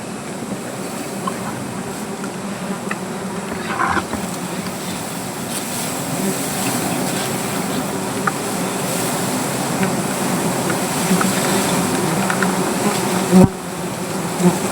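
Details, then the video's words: Angry native honey bees buzzing around their hive beneath a tree while people collect honey; a steady low drone fills the recording, with brief louder bursts and clicks near the end. "রাগী মৌমাছির"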